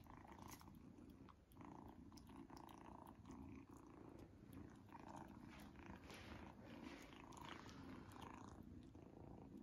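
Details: Kitten Izzy purring contentedly over her first treat, a strong, unbroken low vibrating rumble dominating nearly ten seconds, with only faint chewing ticks above it.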